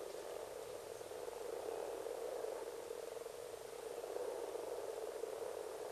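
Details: Frogs at their annual spawning in a pond at Sandyhill, Westport, among long grass and rocks. Many voices blend into a steady, low, purring croak chorus that runs unbroken throughout, with a soft hiss in the background.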